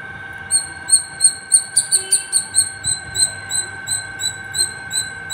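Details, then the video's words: Squirrel calling non-stop from the top of a terrace: sharp, high squeaky chirps with a ringing overtone, about sixteen in five seconds at an uneven pace, over a steady electrical hum. "Non stop singing squirrel 🐿️ at the top of my terrace"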